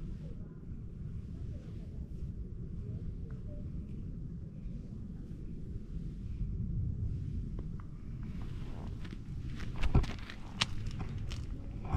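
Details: Quiet outdoor ambience with a steady low rumble, soft footsteps and a few light clicks near the end, with no animal sound.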